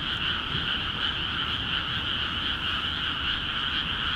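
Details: Many frogs calling energetically from water-filled rice paddies in Akiha Ward; a thick, even chorus of quick rattling croaks with no pauses, the steady buzzing drone filling the whole stretch.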